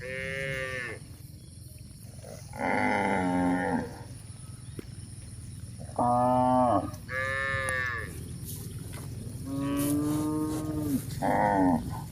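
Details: Village cow herd out grazing on green pasture, mooing repeatedly: about six drawn-out calls, some low and some higher and strained, spaced a few seconds apart over a quiet grassy background.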